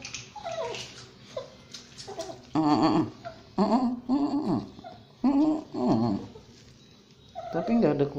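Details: Basuki, a Shih Tzu and Yorkshire Terrier mix dog, cries while being bathed. High, nasal whimpers slide downward in short bursts, about six over eight seconds, in an echoing small room.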